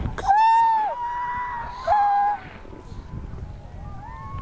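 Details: Newborn harp seal pup in yellow coat, roughly half an hour to an hour old, approaching to sniff a person: two drawn-out, nasal wailing cries rich in overtones, the second shorter, followed by softer, fainter bleats over light background noise.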